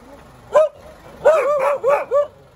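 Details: Dog giving one sharp bark, then a run of three rapid barks with a whiny, yelping edge, each bark brief and mid-pitched.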